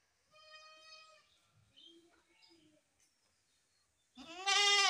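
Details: Goat giving a soft, thin bleat early on, followed by faint scattered sounds and then a loud, quavering bleat bursting in at the end.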